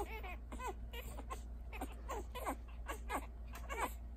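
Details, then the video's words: Litter of six puppies, three male and three female, just learning to feed, making high squeaky whimpers and little grunts, with a new one about every half second over a low steady hum. "grunting feeding puppies"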